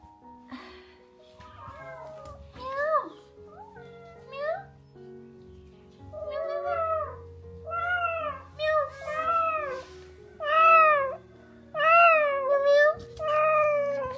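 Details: Kitten, one of five abandoned kittens found in a field at 2 degrees Celsius, meowing after being placed in a warm little bed: a run of loud, arched, high meows, several close together near the end, with steady background music.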